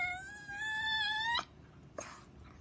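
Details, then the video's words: Chihuahua unable to bark, letting out a sustained nasal cry that creeps gradually upward in pitch for over a second before breaking off sharply, followed by a couple of soft, short noises. "Chihuahua weird sound , crying or barking?"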